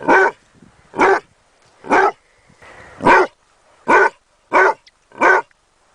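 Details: Basset Hound puppy barking seven times in quick succession, each bark short, full and punchy, about one every 0.8 seconds, with quiet gaps between.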